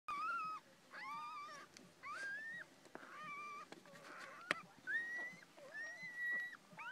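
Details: Several newborn Miniature Dachshund puppies, born September 11th, cry at once: thin, reedy whines rise sharply, hold level, then drop away, repeating every second or so, with fainter squeaks and soft shuffling between.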